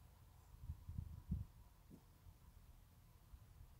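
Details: Sleeping Teacup Yorkshire Terrier snoring softly, a cluster of low rumbling snores packed close together in the first second and a half, then one fainter snort, quiet room otherwise.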